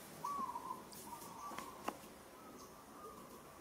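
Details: Little Moka, a newborn monkey in Kampong Cham Province, Cambodia, cries out while roughly handled by monkey Sada: one clear mid-pitched tonal note, then faint fainter tones with sharp clicks.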